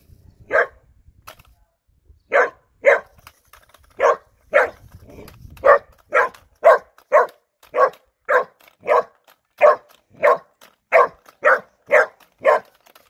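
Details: Three-month-old Bernese Mountain Dog puppy named Erny barking in a steady run of about twenty sharp, mid-pitched barks, roughly two per second, with only a few soft clicks and rustles between them.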